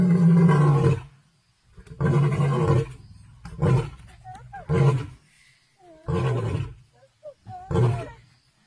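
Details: Lions fighting each other, reportedly at Nambiti game reserve, South Africa, give deep, rasping roars in bursts of about a second and snarl aggressively.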